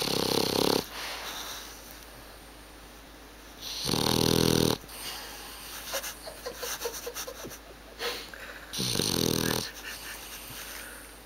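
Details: Suzy, a pet dog, snoring loudly in human-like bursts: long broad rasping snores near one and four and nine seconds, softer wheezy breaths with small clicks between them.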